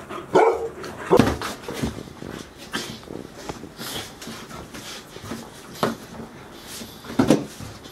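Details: Four 110-day-old Golden Retriever puppies at Ain village, recorded 13 August 2018; scattered short yips and small barks come irregularly over background noise, with soft whimpering sounds between them.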